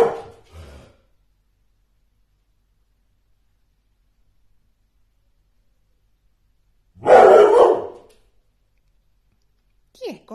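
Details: Airedale Terrier, male, one year four months old, in Poland, barks once in a harsh doubled burst after a long quiet pause, with a short sound at the start and a brief higher squeak at the end.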